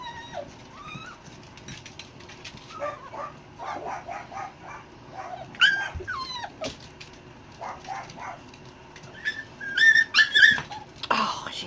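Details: Six-week-old Dachshund puppies, newly moved to a bigger indoor setup and nearly weaned, cry when their mother rounds on them: thin, high whines and squeaks in irregular bursts, several sharp rising squeals near the end, with a woman talking.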